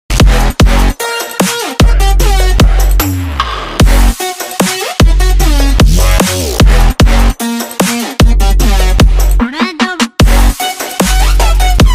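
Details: Electronic dance music with heavy pounding bass, sharp drum hits and synth tones plays throughout, with brief breaks; no animal sound is heard.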